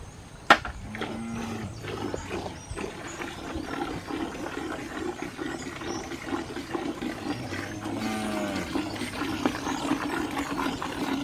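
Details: Ranch cows at milking time: a sharp knock, then two deep, drawn-out moos about six seconds apart, each lasting roughly a second, over a constant low hum and scattered clatter.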